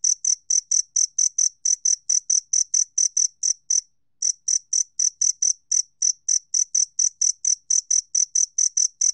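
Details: Two-spotted cricket from a 2020 national biological resources recording: a steady train of short, high, pure ringing pulses, about two per second, with one brief pause near the four-second mark and no other sounds.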